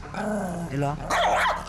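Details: An indoor Maltese that bites family members and guards its toys growls with a continuous low rumble and harsh throaty bursts while holding a toy in its mouth, staying on guard against the father; a person speaks softly over it.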